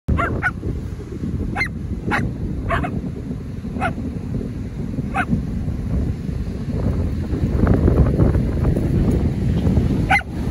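Australian Cattle Dogs give sharp, insistent barks, demanding to go swimming.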